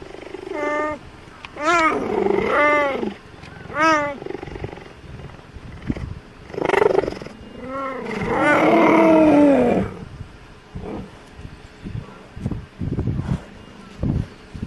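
A cheetah repeats bright, cat-like meows, each a quick bending cry with a rich, nasal tone. Longer drawn-out mews follow, separated by brief quiet gaps and soft background rustling.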